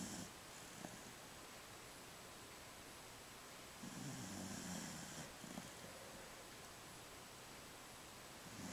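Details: A 15-year-old female Jack Russell Terrier snores softly while asleep, twitching and dreaming, with one long, low, rumbling breath among fainter snorts.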